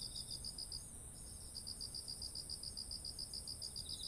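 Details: Autumn insects calling beside ripe, heavy-headed rice fields in Japan: a fast train of high, pulsed chirps, about three to four per second, over a steady shrill high hiss and low background rumble.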